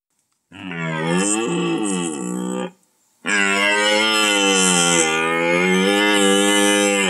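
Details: Rutting red deer giving two drawn-out, loud, harmonic bellows, the first about two seconds and the second about four seconds, steady in pitch with a slight wavering and a brief pause between them.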